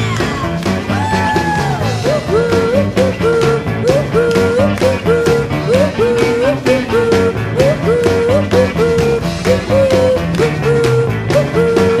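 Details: Loud rock music with guitar and a repeating sung or lead melody fills the recording, with no animal sounds audible.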